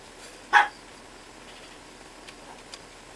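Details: Two-month-old Chihuahua puppy giving a single short, high, sharp yip near the start, then near silence with a few faint clicks in a quiet indoor setting.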